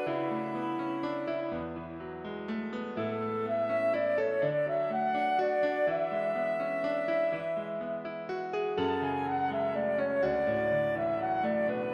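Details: Gentle instrumental music of piano with flowing melodic lines plays throughout, steady and continuous, with no animal voice heard.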